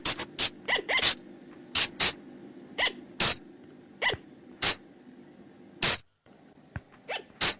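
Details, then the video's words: Forest flying lemur sound used as a night-time lure: loud hissing, sneeze-like bursts and thin upward-sliding squeaks at irregular spacing, sometimes in quick pairs, with a faint constant low drone underneath. "เสียงต่อบ่างป่า หรือพุงจง,พะจง flying lemur sound"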